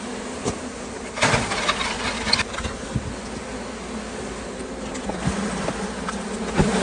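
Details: A honey bee swarm is being caught in California. A steady, dense droning buzz of many bees fills the clip, broken by scattered crackles and handling knocks.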